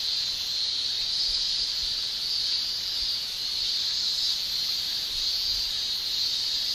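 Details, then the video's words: Japanese cicadas, males singing with their tymbals in summer in Japan, produce a dense, constant high shrill that barely varies, with faint waves of loudness. "Japan Summer Cicada Shrilling"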